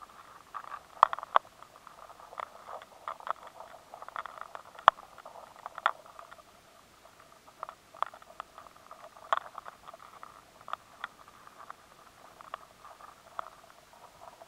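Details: High-sensitivity recording of rice weevil larvae inside stored grain, the gnawing loud and clear: sharp, irregular ticks and clicks over a steady hiss. The larvae find it harder to scrape at the grain, so the sound changes.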